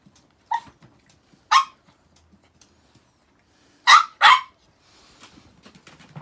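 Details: Pet Chihuahua indoors while its toilet is being changed, giving four short, sharp barks: single yaps near the start and one second later, then a quick double bark near the end, with faint rustling between.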